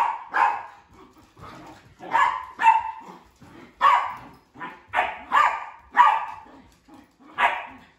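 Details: Female sheprador at home, playing with two other household dogs: a run of about ten sharp, mid-pitched barks, often in close pairs, spread over eight seconds with short quiet gaps between.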